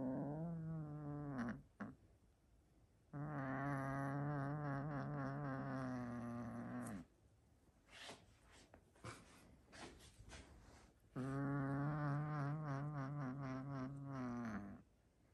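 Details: Pet tomcat guarding his favourite toy, growling as someone tries to take it away: two long, low, buzzy growls of about four seconds each, separated by a stretch of clicks and small handling noises, with a short growl at the start.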